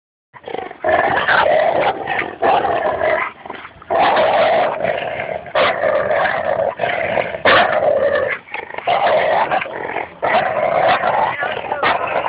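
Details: Goose, a Labrador Retriever, growls through a tug-of-war game with Espy, a Bouvier des Flandres, at Fernandina Beach Dog Park; rough, rolling growls come in long, near-continuous bursts with brief breaks, some rising into harsher snarls.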